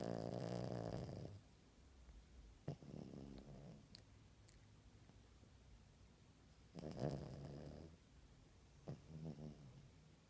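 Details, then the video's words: A puppy asleep under the covers, snoring softly: low, rumbling breaths in slow bursts separated by quieter stretches, with faint rustling in between. "Puppy Snoring"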